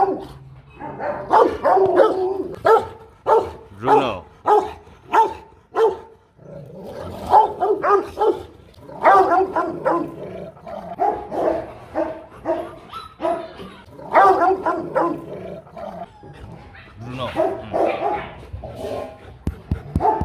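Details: Powerful barking from Rottweilers kept as family guard dogs: a steady run of short separate barks early on, then denser rough volleys, with voices mixed in at times.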